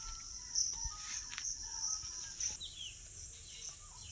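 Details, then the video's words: Crickets calling during an evening walk through rural Bengal under a part-cloudy, part-sunny sky: a steady, high-pitched shrill ringing drone holds throughout, with a few faint, brief bird chirps lower down. "এদিকে ঝিজি পোকা ডাকছে।"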